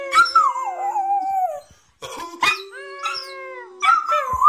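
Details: Lana and Kacper, a pair of West Highland White Terriers, give drawn-out falling howls broken by short yips and whimpering notes, with brief pauses between bursts before another long wavering howl.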